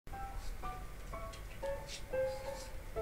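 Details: Light instrumental music with plucked-string notes and faint speech; no animal sound is heard.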